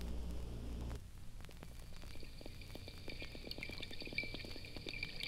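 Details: School of twenty or more wild porpoises swimming freely in the Gulf of Mexico, recorded from a boat as they approach from about a quarter mile away. A low rumble opens, then rapid sharp clicks with thin, sustained high whistled tones over watery background.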